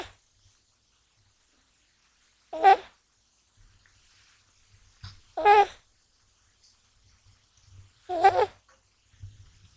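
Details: Gash, a male American Shorthair kitten born in January 2020, snoring in deep sleep indoors and not waking while handled; voiced, wavering snores about every three seconds, quiet between breaths.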